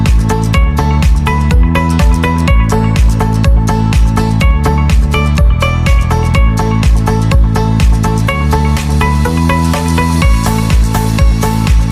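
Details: Loud electronic dance music with a steady driving beat and no animal voices.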